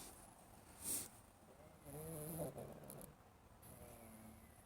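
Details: Cat in an Elizabethan collar snoring in its sleep while dreaming; a soft sniff, then a drawn-out, low, wavering snore with a buzzy tone, trailing into faint breathing.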